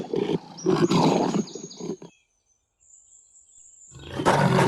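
A lion gives a deep, rasping roar for about two seconds. After a pause, a thin high whistle sounds and a second harsh roar begins.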